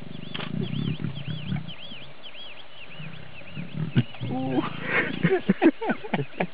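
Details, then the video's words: Lioness in the Sabi Sands, South Africa, trying to get a tired, uninterested male lion to mate; low rumbling growls and grunts, a burst of sharper moaning calls near the end, with people talking quietly in the background. "Lioness attempting to lure an uninterested male Lion to mate!"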